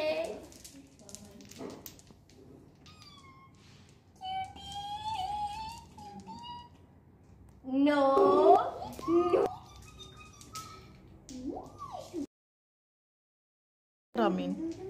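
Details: Pet cat at play time indoors, giving several meows including a loud wavering one and a rising-then-falling one, with a person speaking softly to it and short silent gaps.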